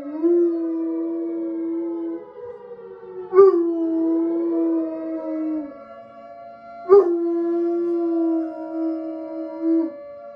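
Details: Bloodhound coonhound Pluto howls with a tornado siren sounding from a phone: long, sustained howls held at a steady pitch, broken by sharp breaks at about three and a half and seven seconds, the siren droning beneath.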